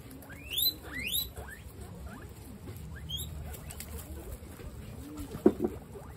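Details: Guinea pigs, part of a group of 26 females, at dinner time: sharp rising whistled wheeks rise steeply to a high pitch, two close together early on and another about two seconds later, over low munching and rustling.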